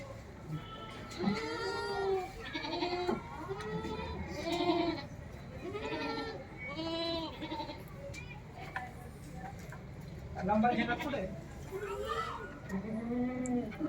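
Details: Four-month-old Saanen goats at a goat farm in Aurangabad bleating repeatedly: wavering, nasal, harmonic-rich bleats that rise then fall, coming every second or so, several overlapping, with faint background noise between calls.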